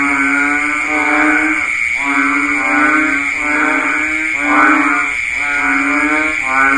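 A banded bullfrog gives deep, nasal, bleating calls, each about a second long, over a steady insect drone.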